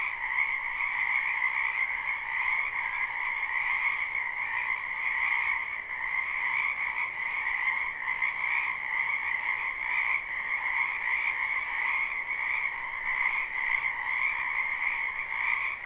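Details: Many frogs calling together in a spring wetland, recorded live and unlooped: a long, even wall of trilling croaks in two steady pitch bands, pulsing softly in loudness, with no other clear sounds.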